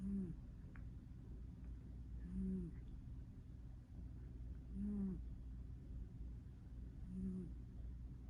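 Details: Gentle snores from a sleeping cat, four low, slightly rising tonal breaths arriving regularly about every two and a half seconds in a quiet indoor room.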